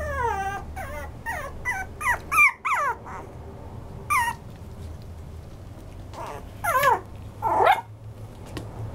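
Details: Toy poodle giving bursts of thin, high whines that drop in pitch, first in a quick cluster, then after a quiet pause a few more isolated cries, the last one wavering, over a faint low hum.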